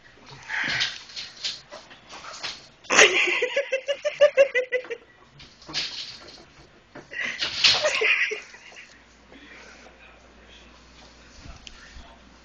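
An Italian greyhound gives high, wavering whines and yelps in short bursts, with some human voices indoors.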